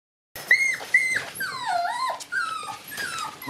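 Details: Shiba Inu puppies: two white sisters born December 27 and a black pup born January 3. Several high, thin whines, the first two short and level, then longer wavering whimpers that slide down and back up, with brief pauses between.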